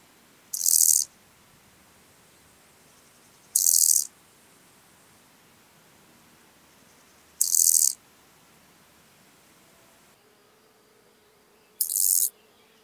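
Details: Lesser marsh grasshopper (Chorthippus albomarginatus) song in Elsbethen, Austria, 27 July 2019: short, high, scratchy chirps about three to four seconds apart; noise removal affects the frequency spectrum.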